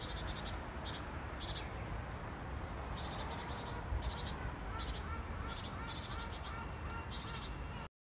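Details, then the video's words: Grasshopper outdoors: short, dry, buzzy rasping bursts of rapid pulses, each under half a second, repeated irregularly about a dozen times, over a steady low rumble of background noise. "Grasshopper || Nature Sound"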